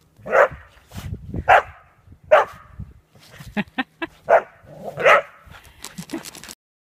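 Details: A whippet barks in a funny home clip, giving five loud, harsh barks at uneven intervals of about one second, with clicking and rattling noises between them.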